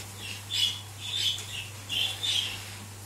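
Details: Cavalier King Charles Spaniel puppies in a cage, the only male pushing his dominance over the females: a steady run of thin, high whimpers coming in paired bursts about every half second, with a faint steady hum underneath.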